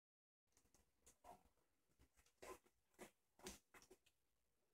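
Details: Five-day-old Siberian Husky puppies give soft, short squeaks and whimpers in quick, irregular bursts.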